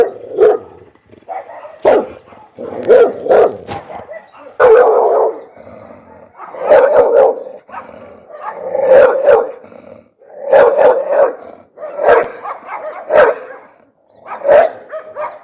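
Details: Pit bull dog barking fiercely and loudly, dense irregular runs of rough, throaty barks mixed with snarling growls over about fifteen seconds.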